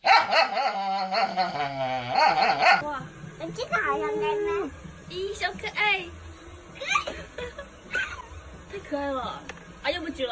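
A person talks at the start, then kittens meow in thin, high cries that swoop upward and trail off. The calls come in irregular bursts with some background chatter.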